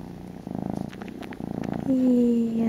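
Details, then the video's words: Kitten purring while snuggled in a shawl, a soft rumbling purr, then a person's voice speaking over it near the end. "Kitten Baby Wants a Bottle"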